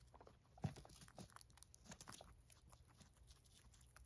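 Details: Domestic female guinea pigs feeding on hay, one sharp loud bite early, then steady soft crunching and rustle of dry stalks at a quick uneven rhythm over a low constant hum.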